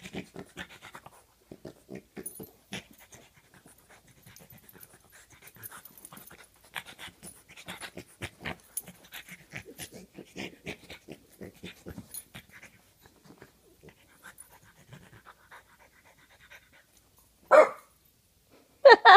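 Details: A playful French Bulldog puppy wrestling a foot snuffles and pants softly, then gives two loud, rough growling bursts near the end.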